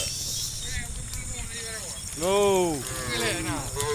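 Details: A herd of cows led by farm workers toward the farm pens on a sunny morning; one clear arched moo that rises then falls rings out midway, with fainter calls before and after over a low rumbling background.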